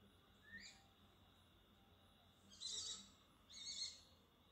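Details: Indian palm civet, a pair mating at night behind a kitchen area: one short rising squeak, then two harsh hissing bursts about a second apart, over a low steady background hum.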